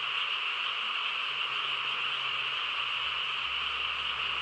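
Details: A frog chorus in the hush of a rural night, many callers blending into one continuous, even trilling hum that neither rises nor fades.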